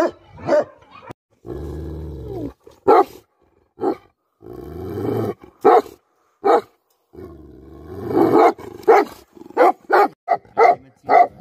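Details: Bhote Kukur, the Tibetan Mastiff, angry: rough barks mixed with sustained low rumbling growls, ending in a fast, uneven series of sharp barks.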